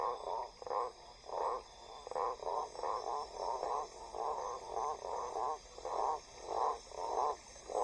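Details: Male blacksmith tree frog (Boana faber) in breeding season gives deep, knocking notes in a steady series, calling from about 10 m up in riverside vegetation to attract a female; females prefer deeper voices, which signal larger males.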